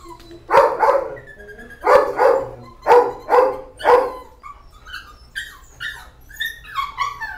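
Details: Puppies at an animal shelter: a run of short, harmonic yaps in pairs and clusters over the first four seconds, then thinner, high rising whines and squeaky yelps from several young dogs.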